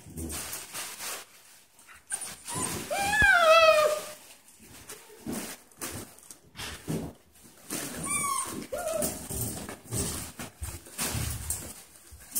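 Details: Goldendoodle and poodle puppies from a 2016 litter playing indoors: a few high, sharp yelps with falling tails around three to four seconds and again near eight seconds, amid soft scuffling, thumps and faint room noise.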